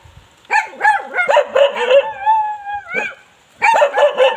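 A Bali dog gives rapid, high-pitched, yelping barks, several to the second. Midway the barking gives way to a short, steady, whining note before the yelps start up again.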